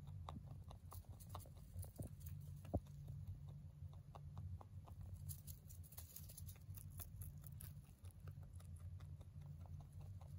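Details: Hay being eaten by a male mini rabbit born in 2020: continuous quick crackling bites in irregular bursts, one louder snap near three seconds, with a low steady hum behind.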